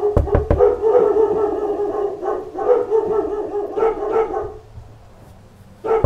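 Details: Dogs in a pack bark at knocks on the door; sharp knocking thuds open the clip, followed by a sustained wall of overlapping barks and yelps that fades near five seconds before one more bark.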